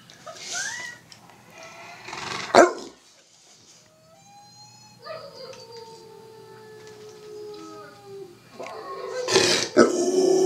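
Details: Domestic Rottweiler mimicking a played-back howl of himself. Noisy yelps open the recording, then a long, smooth, slightly falling howl holds for about three seconds before ending in rough, breathy bursts.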